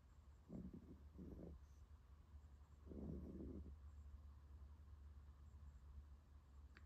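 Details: Tired female puppy asleep during a nap: two short rasping snores in quick succession, then a longer, louder snuffling snore at about three seconds, low and breathy, with quiet indoor hum.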